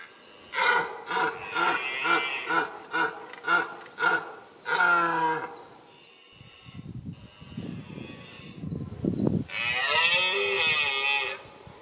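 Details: A red deer stag in the autumn breeding season in a remote forest of Lozère, southern France, gives a run of hoarse, throaty grunting roars in quick succession, then a longer drawn-out bellow, with low rumbling bursts of wind or rustling between.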